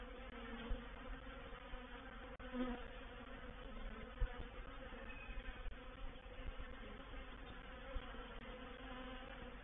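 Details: Many honey bees of a reproductive swarm settling into a swarm trap, Painted Peacock Manor, April 7 2021; rich droning hum with wavering tones and scattered knocks and taps over nearly ten seconds.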